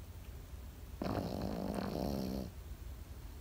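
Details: One drawn-out, rattling snore of about a second and a half from a sleeping Pekingese, a buzzy, ridged rasp set against near silence.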